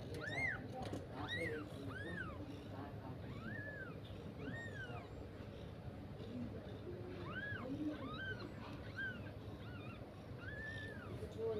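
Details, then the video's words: Kitten crying, giving a long run of high, arched mews that rise and fall, about a dozen over eleven seconds at uneven spacing, over a steady low background rumble. "Kitten crying voice"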